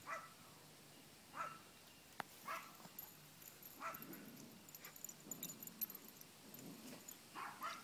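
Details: A Chihuahua puppy at play outside lets out soft, high yips and whimpers roughly once a second. The sounds are faint over a low outdoor rumble with occasional clicks.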